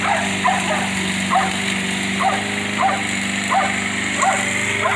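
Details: Baxter, a Jack Russell terrier mix, yells angrily at his owner while the yard is mowed: short sharp yelping barks repeated roughly once a second over a steady droning lawn mower hum.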